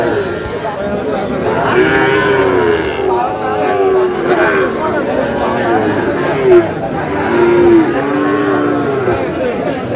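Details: Sahiwal cattle, bull calves at a cattle market in Nawabganj upazila, Bangladesh, on 21 February 2026: several overlapping drawn-out moos, some falling at the end, over a loud crowd of chattering people.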